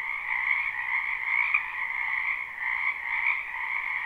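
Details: A crowd of frogs in a springtime wetland beside a home, recorded live: constant shimmering trills layered in two pitches, with a brief louder click near the middle and a slight dip shortly after.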